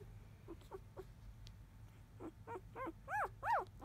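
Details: Newborn field-line Labrador Retriever puppies, four days old and napping. Soft, scattered squeaks grow into louder, rising-then-falling whines near the end, over a steady low background hum.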